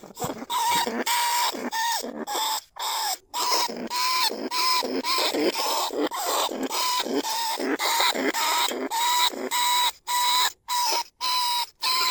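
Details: Lesser bandicoot rat in a trap cage, calling other rats, recorded in paddy fields at Na Lao, Nong Khu Phai, Thailand. A long, nearly continuous string of harsh, nasal squeals, each with a clear steady tone, about two per second.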